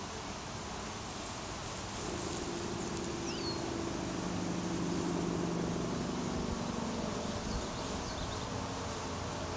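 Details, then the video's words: A swarm of honey bees massed on a small tree branch, giving a steady low droning hum with a faint whistling overtone, under a broad hiss of outdoor background noise. "Honey Bee Swarm"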